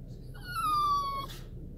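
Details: Dog reacting in a car after its owner disappears from view, giving one drawn-out high whine that holds steady and slowly falls, rich in overtones, ending in a short breathy burst inside the small space.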